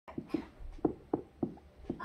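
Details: Pet guinea pigs calling indoors as their owner leaves the room: a run of short, clipped calls with stacked harmonics, about six pulses spaced a third to half a second apart, in a small quiet room.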